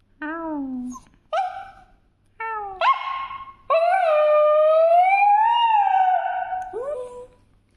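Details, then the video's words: A pet dog making noise: a series of short whimpers and yips building into one long howl of about three seconds that slowly rises and falls, ending in a brief downward whine. "My Dog Is making noise"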